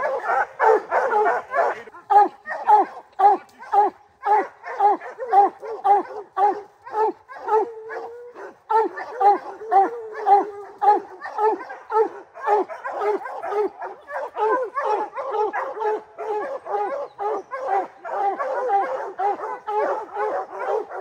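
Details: Rocky, a three-month-old puppy from Gray's Rack Em Willy and Blackstone's Ram-Paige, bays hard at a black bear up a tree; quick chopping barks with a drawn-out howl near the middle, pouring on nearly nonstop.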